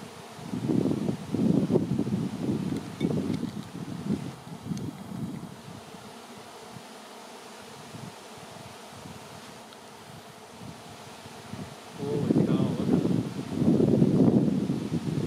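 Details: Swarm of honey bees filling the air before settling on a branch to await relocation to a new hive; low droning buzz surges in two loud bursts, over the first five seconds and the last three, with a softer hum and wind rumble between.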